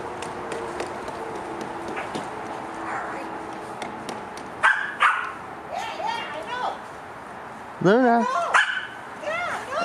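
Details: Luna, a Cardigan Welsh Corgi, plays with a ball in the snow, filmed on a Panasonic GX8. Short, sharp, harmonic barks arrive midway, then two louder barks close together near the end, with a person talking quietly throughout.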